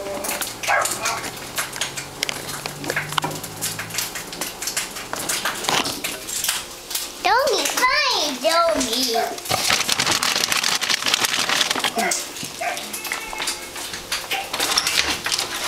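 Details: Graffin, a pet dog, barks because he can't reach his snacks: a quick run of several sharp, harmonic barks in the middle of the clip, with people talking and household clatter around them.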